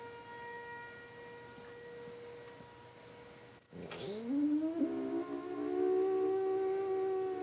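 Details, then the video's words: Frenchton dog, French Bulldog and Boston Terrier mix, joining the weekly tornado siren: a steady siren tone plays alone at first, then the dog's howl swoops upward and holds long and wavering over the siren. "frenchton howls with tornado siren"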